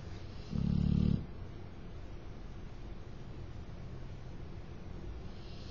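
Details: A dog snoring loudly indoors, heard while someone sat at a computer: one deep, rough, low-pitched snorting snore lasting under a second, followed by a quiet room with faint background hiss.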